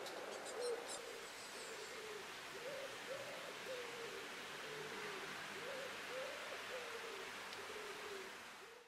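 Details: Common toads (Bufo bufo) in Brussels, Belgium, in July 2023 give soft, short, mid-pitched croaks, repeated steadily over a hissing background.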